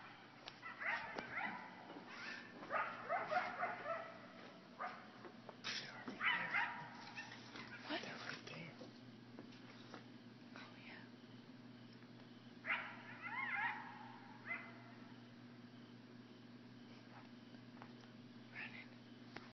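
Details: Coyotes about 50 feet from a cabin porch at Clear Creek, Hendersonville, break into bursts of high, wavering howls and sharp yips over a steady low hum.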